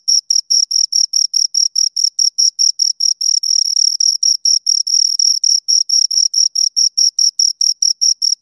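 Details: Rhythmic chirping of two crickets: quick, high, rasping pulses at about four per second, briefly running together and growing louder near the middle, then spacing out again. No other animals or noise.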